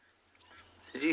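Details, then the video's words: Almost adult waterbuck bull approaching on a morning safari drive in a South African game reserve, giving a single short nasal moaning grunt, mew-like, that swells abruptly at the end after near silence. "Did you hear that little grunting, moaning sound?"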